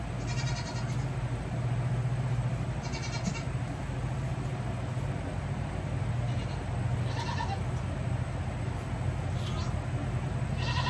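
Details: Baby goats kept by their owner on a hoof-trimming day give short, bright bleats about four times in eleven seconds, each a brief harmonic burst, over a loud, steady low hum like a running engine.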